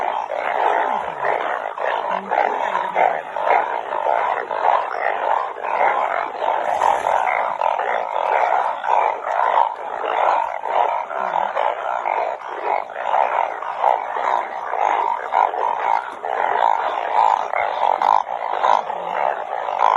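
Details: Rain-night chorus of banded bullfrogs, gathered by the kilo. A continuous wall of overlapping buzzy, bleating calls with fast, uneven pulsing that keeps a steady loudness throughout.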